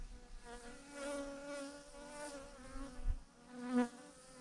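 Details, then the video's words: A honey bee swarm of thousands clusters in one huge clump on a branch; a continuous humming drone rises and falls as single bees fly close, loudest near the end, with little other noise. "thousands of BEES hanging on a branch in a massive clump"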